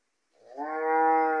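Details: Gyr bull on a farm in Morazán, El Salvador, one of three bulls offered for sale; a single loud, steady, harmonic bellow swells in over a fraction of a second and holds level for about a second, with no other sounds.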